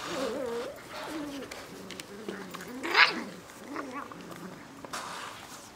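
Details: Ten Bernese Mountain Dog puppies playing in a yard: wavering, whiny yelps and whimpers rise and fall in quick, overlapping bursts, with one sharper, louder squeal near the middle.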